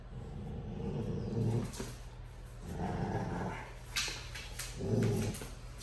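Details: Dogo Argentinos Tyson and Kilo, aged two years and two months, growl during a tug of war game: deep rumbling growls in three bursts, each lasting about half a second to a second, with brief scuffling noises between.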